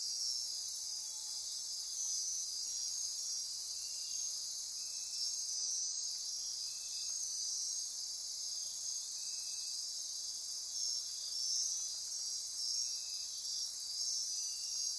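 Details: Night-time insect chorus from the forests near Corcovado National Park, Osa Peninsula, Costa Rica: unbroken high buzzing trills overlaid by short pulsed ratchets recurring every couple of seconds, plus a faint brief lower note.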